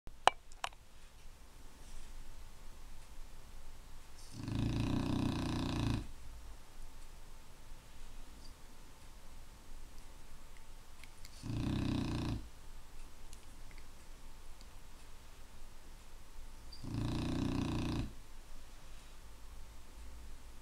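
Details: Clumber Spaniel snoring indoors, the reason Clumbers are kept out of the bedroom: three long, rough, rumbling snores, each about one and a half seconds, spaced roughly six seconds apart over a faint steady hum.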